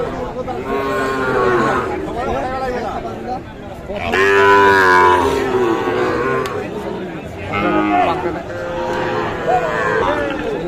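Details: At the Aftabganj livestock market, Nawabganj, Dinajpur, Bangladesh, with Sahiwal bull calves on sale on 16 July 2024, a loud, rich bovine moo rises and falls for about a second. Buyers and sellers haggle around it, with fainter lowing from other cattle.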